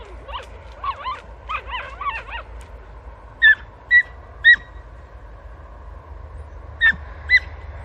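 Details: Podencos of Campo Arañuelo hunting through bramble cover; a quick cluster of wavering yelps, then sharp, high, clipped barks spaced about half a second to a few seconds apart, with steady low background rumble.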